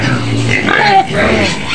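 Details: White pig screaming in its pen on the outskirts of Medan, Indonesia: a loud, harsh, continuous squealing that wavers in pitch, with a person's voice mixed in.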